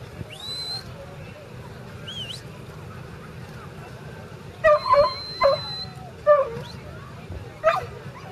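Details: Young Border Collie working sheep in a herding demonstration at the 2011 Swanview Show, Perth, Western Australia; a short cluster of sharp, high yipping barks, preceded by thin whistles, with a man speaking and outdoor show murmur.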